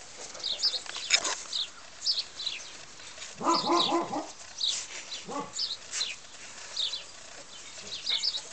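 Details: Pedigreed Tibetan Mastiff puppies Wanga and Xena Dharmapala, recorded in 2019 in a large outdoor enclosure. A quick burst of several harsh barks comes near the middle, then one more bark, while small birds chatter and chirp throughout.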